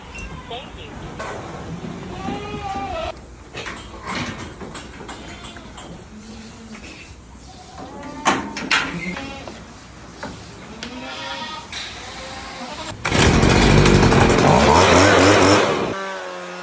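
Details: Boer goats on a modern goat farm, several animals bleating in wavering, nasal calls that overlap through the first twelve seconds, with people talking nearby; a loud broad mechanical noise swamps the last few seconds.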